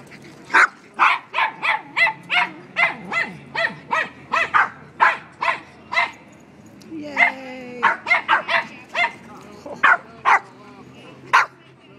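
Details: Dog at the Tompkins Square dog run giving a steady series of loud, sharp barks roughly every half second, about twenty in all with a few short pauses, and faint voices and a brief tonal sound in between.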